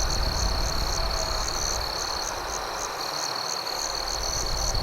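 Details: Crickets at night beside a campfire; a steady high trill with regular pulsed chirps repeating about three times per second, over a dense hiss and low rumble.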